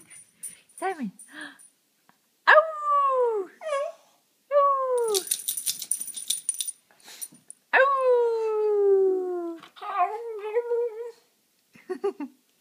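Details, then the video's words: Domestic dog "talking" when especially happy: drawn-out whining, howl-like moans that swoop downward, repeated in several long bursts, with a rattling noise in between and faint background chatter. "Simon Talks"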